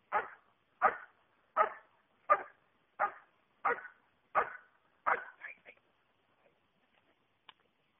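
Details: Schutzhund dog in a protection hold and bark exercise, giving eight sharp barks at an even pace about every 0.7 seconds, then a couple of softer yips before falling quiet.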